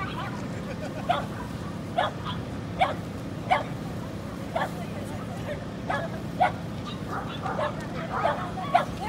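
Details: Corgi baby, a female, in Inage, Chiba, Japan, 23 February 2019: repeated bright yapping barks roughly every second or less, a dozen or so short bursts, against a constant low rumbling background.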